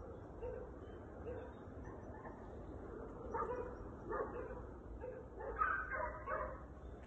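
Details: Gordo and Tom, a pair of Segugio Italiano hounds in training on hare, give distant tonal bays in short repeated bursts, growing louder and denser toward the end over steady low background rumble.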